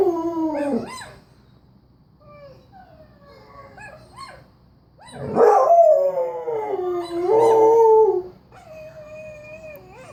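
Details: Pet dog howling in response to a played recording of howls; a short falling howl, quieter distant howls from the recording, then a loud rising howl held and wavering for about three seconds before fading.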